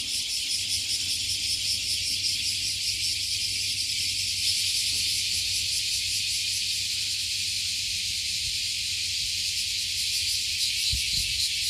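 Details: Cicadas in Japan by Fukuoka Bay, a mass of insects that crawled up a 50-year-old tree and now sing all at once. A continuous hissing, high-pitched drone with a fine regular throb and no pauses.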